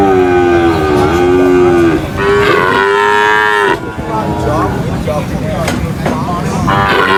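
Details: Cattle unloaded from a truck at the market give a long sustained moo lasting several seconds, then further overlapping lowing calls over constant background bustle.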